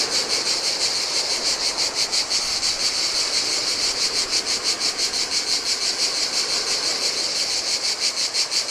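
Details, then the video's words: Cicadas calling in hot weather near the turquoise Adriatic shore of a Greek island, continuous piercing buzz with strong regular pulsing around three beats per second, low murmur of waves on sand. "Cicadas by the Sea - Ocean Waves & Cicada Sounds"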